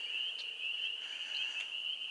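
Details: Frogs calling at a swampy, boggy pond in breeding season, singing for their mates; a steady, high, unbroken trill holds one pitch throughout, with faint higher chirps layered over it and no other clear sounds.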